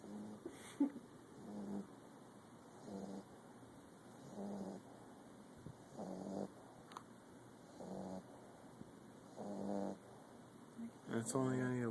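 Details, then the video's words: Sleeping Pit Bull snoring loudly; low rasping breaths repeat roughly every one and a half seconds, steady and rhythmic, with faint background hum. "Pitbull Snoring"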